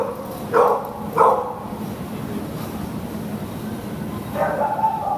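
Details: Pit Bull terrier awaiting adoption at a shelter, giving two sharp barks close together, then a softer drawn-out bark near the end, with constant low background rumble.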